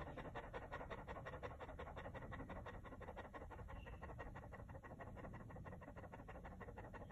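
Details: Chow Chow, a fluffy dog, on a very hot day with a big block of ice: steady rapid panting, fast regular breaths about three per second, soft and continuous with no other clear sounds.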